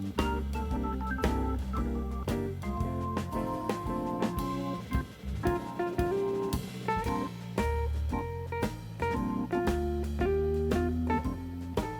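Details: Jazz-style music with drum kit, guitar and percussion plays throughout; no animal sound is heard.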